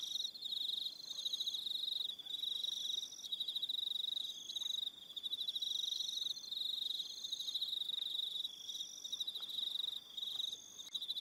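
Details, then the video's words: Evening crickets at Aroha Island in New Zealand keep up a shrill, rapidly pulsed trill in long phrases broken by brief pauses, while thinner high chirps weave above. "1 Hour Relaxing Evening Sound of Crickets"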